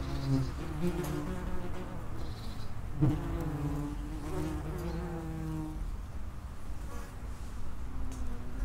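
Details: Several common wasps buzzing at the entrance to their underground nest, low droning hums rising and falling in pitch as insects come and go, a sharper close pass around three seconds.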